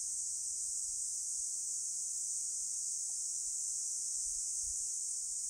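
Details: Cicadas on Songi-do island in summer, 11 July 2022 at 14:13, make a steady, high, hissing buzz that holds unbroken from start to finish.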